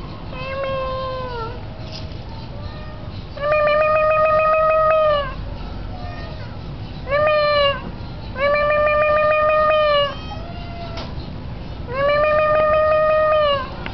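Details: Tomcat calling his owner from the roof during a windy day: loud, sustained flat meows about two seconds long, alternating with short downward-curving mews, repeated roughly every three seconds against a background of wind.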